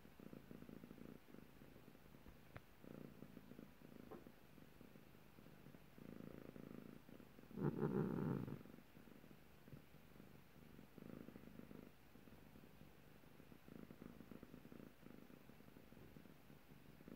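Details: A grumpy, annoyed cat gives a low, rumbling, pulsed purr-like sound in bursts of a second or two, with a louder surge near the middle, against a quiet background.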